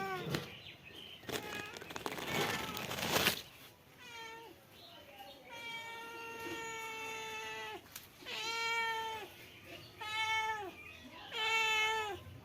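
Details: Male domestic cat meowing repeatedly: a long, steady, drawn-out meow, then three shorter rising-and-falling meows about two seconds apart, after a burst of loud rustling and handling noise at the start.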